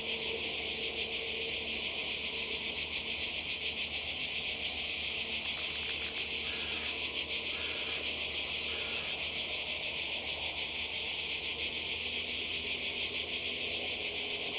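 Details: Croatian coastal cicadas in summer 2020 keep up a loud, piercing buzzy drone with fine pulsation; a few brief softer chirps break in around the middle.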